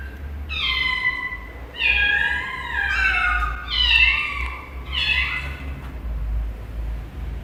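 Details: Cats meowing strangely: several overlapping, wavering meows that rise and fall in pitch in quick succession, with a low rumble beneath.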